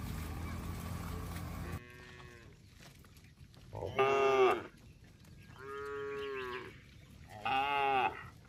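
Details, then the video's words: Tame cattle herded along a road: after a burst of rumbling noise, three clear moos follow, one short and forceful, one longer and steadier, then a final strong call, with quiet gaps between. "suara sapi bunyi"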